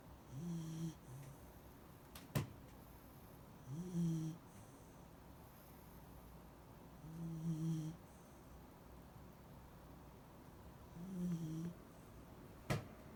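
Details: Shiba Inu named Mari snoring while asleep indoors; deep, throaty snores in a regular rhythm, four breaths about every three and a half seconds, with a couple of sharp clicks between them.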